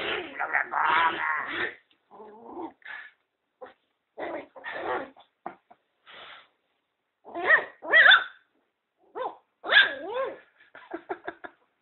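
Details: A two-month-old Pinscher puppy in mock-fierce play, being tugged toward a hole, giving bursts of rough growls and wavering, rising-and-falling whiny growls with short pauses between.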